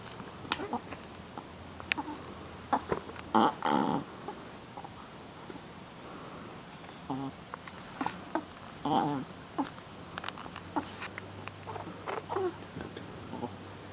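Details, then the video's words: Shih Tzu puppy, a female, playing rough: short gruff growls and squeaky yips in scattered bursts, one longer grumble near the middle, with a person's voice now and then. "Baby Shi-Tzu Playing and Making Cute Sounds"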